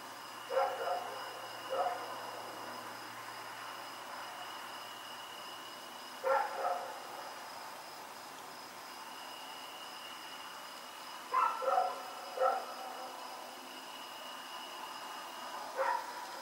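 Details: Rex, a dog, running around at night on October 7, 2018, gives short barks in small bursts, spaced several seconds apart, over a steady faint high hum and quiet background.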